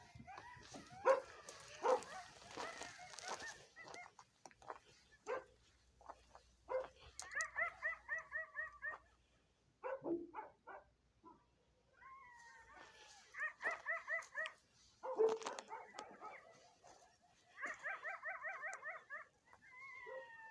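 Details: Coyotes calling close by at night: a burst of sharp barks and yelps, then wavering quavering howls in chorus in repeated bouts, with sliding high whines between them.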